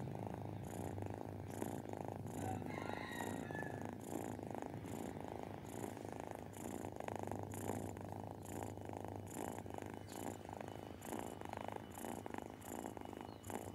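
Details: Milo, a disabled Persian cat rescued from the streets, purrs while being spoiled: a steady low rumbling pulse runs throughout, with a brief faint higher sound near the third second.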